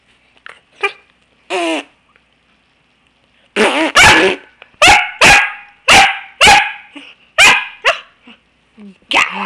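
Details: Niea, a female Pembroke Welsh Corgi at play on a couch and nipping at an arm, gives a couple of short whines and then a quick burst of about eight sharp barks, roughly one every half second, before a final bark after a pause.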